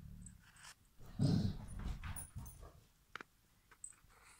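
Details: A Basset Hound being chased out of bed by a cat while sleeping gives a low, rumbling growl-like vocalisation with a brief whimpering edge.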